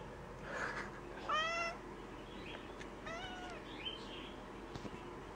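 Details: Gray tabby female house cat, described as very vocal, kept indoors and at times confined to a bathroom for a few days while unwell and on medication; two drawn-out, harmonic meows, the first rising then falling, the second softer, in a quiet room.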